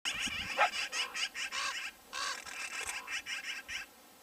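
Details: Coyotes fighting over a bison carcass squabble with harsh, raspy yelps and squeals in quick, uneven bursts during an aggressive interaction.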